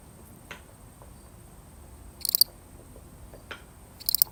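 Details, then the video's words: A single lonely cricket in a real recording gives two short, high, pulsed chirps about two seconds apart against a quiet background with faint soft clicks. "The sound of one lonely cricket"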